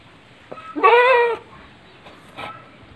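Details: Penned goat on a smallholding in Panggul, Trenggalek, Indonesia, where three pregnant does share the pen with a nine-month-old buck; one short, harsh bleat of about half a second, then a faint second call over low background murmur.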